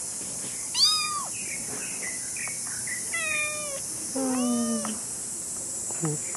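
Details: Kitten meowing while wandering around: several high, sharp meows with rising then falling tones, clustered near one, three and four to five seconds, with softer chirps between and a steady high hiss in the background.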